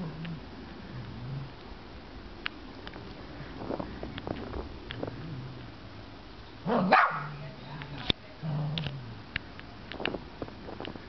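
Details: A Cavalier King Charles Spaniel on her first experience of snow gives a few sharp barks amid quiet murmuring voices.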